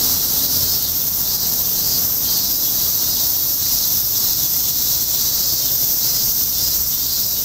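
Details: Insects singing in August near Rikugien Gardens, Tokyo, Japan: a dense, continuous high-pitched shimmering drone with a steady bright band that holds unbroken from start to finish, over faint low background hum.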